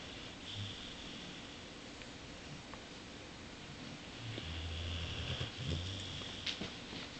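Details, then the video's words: Sleeping Boxer named Bowser, dreaming after throat surgery, breathes quietly before a louder stretch of deep, rattling snores in the second half, with a faint airy hiss. "Bowser the Boxer snores and dreams"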